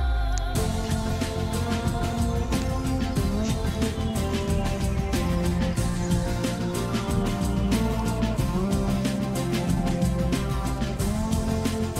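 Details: Continuous instrumental music with steady beats and sustained tones fills the whole stretch, and no animal sound is heard.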